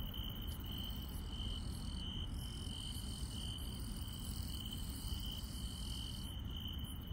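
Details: Night insects in rural countryside sing a continuous piercing trill at a fixed high pitch, joined by very high, buzzy pulsed chirps that come and go, with steady low rumbling background noise underneath.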